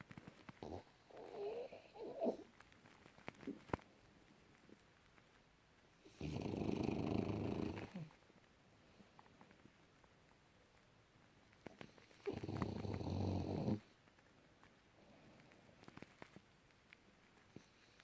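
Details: French Bulldog named Junior sleeping deeply in January 2018, giving two long, harsh, rumbling snores about six seconds apart, with soft shuffling noises and a short muffled sound early on in an otherwise quiet room.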